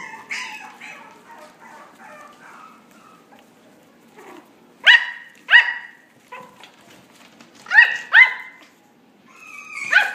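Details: Young female Yorkshire Terrier, steel blue and tan, born December 2016, barks in sharp, high yaps, singly and in quick pairs, after a stretch of soft whimpering, with quiet gaps between bursts.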